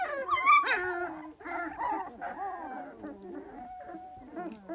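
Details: A three-week-old Dalmatian puppy gives a sharp high squeal, then drawn-out wavering whines and a thin howl-like moan, with other pups murmuring softly beneath.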